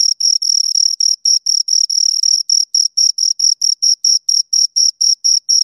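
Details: Two crickets chirping close up: shrill scraping pulses, a few run together at first, then settling into separate evenly spaced chirps about four per second, in otherwise silent surroundings.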